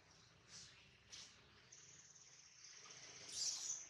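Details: Hungry baby monkey named Adler, missing his mom while a small monkey holds him, gives thin, high squeals that stretch into a long sustained whine, rising to a louder piercing cry near the end.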